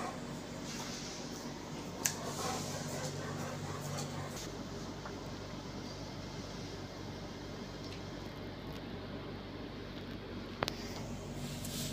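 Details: Steady fan-like room hum with faint background noise and two sharp clicks, and no animal voice.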